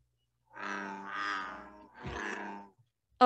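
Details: American bullfrog, the biggest frog living on Long Island: deep, rough, roaring grunts, two drawn-out notes run together followed by a third, lasting about two seconds, ending with a brief sharp click.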